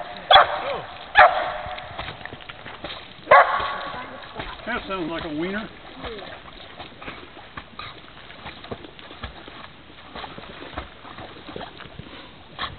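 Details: Female dog barking as she swims: three loud barks in the first few seconds, then a person talking briefly over water sounds and quieter splashing.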